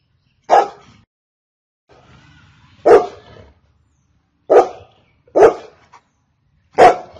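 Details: Golden Retriever barking: five sharp, broad single barks, spaced irregularly about one to two seconds apart, with a faint low rumble between the first two and otherwise quiet gaps.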